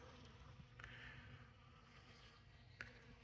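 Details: Honey bees at open winter feeding on honey dripping in a hive caddy, December 6. A faint, steady humming drone with two short sharp ticks.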